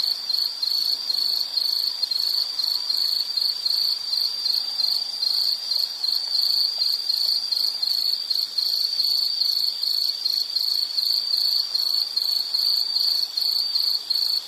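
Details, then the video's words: Insect chorus from a relaxation nature-sound recording: a steady high-pitched trilling band, pulsing in rapid regular chirps without pause, with faint hiss beneath and no other clear sounds. "Nature Sound of nature sounds scenery L · insect"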